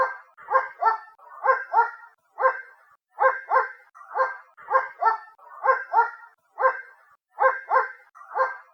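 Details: Distant dog giving a steady run of dull, muted barks, often two in fast succession, with brief gaps between bursts and a background otherwise silent.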